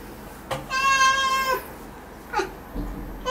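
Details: Pet cat during claw trimming lets out one steady, level meow lasting nearly a second, clear and strongly harmonic, with a faint short sound after it.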